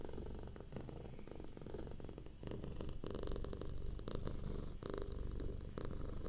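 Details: Domestic cat in a relaxed state purring softly, deep rumbling vibration in rapid pulses, growing slightly louder after the first couple of seconds, recorded close.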